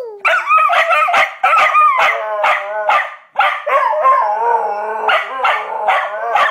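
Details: Several Australian Cattle Dogs, stirred up by their owner, howl and shriek together: overlapping quavering howls layered with rapid, high yelps, continuous and loud throughout.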